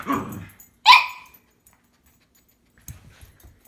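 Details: Two Cavalier King Charles Spaniels, tricolour and Blenheim, quarrelling over a string toy: a rough growly bark, then one loud sharp bark, followed by near silence and faint low rustling.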